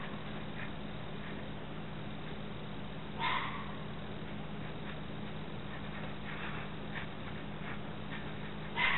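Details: A single hoarse red fox scream rings out, short and raspy, followed by fainter, more distant screeches and a steady background hum.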